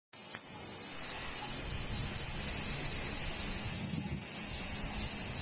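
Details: A dense, steady high-pitched insect chorus of summer bugs among trees in Japan on a hot day buzzes without pause, shimmering like cicadas or crickets.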